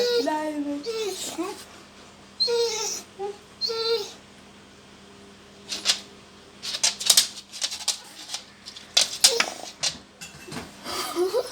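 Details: A pet dog making comical sounds at the sight of food, indoors in a small room; a run of high, wavering whine-like tones with stepped pitch, followed by sharp clicks and bursts, with people talking and laughing nearby.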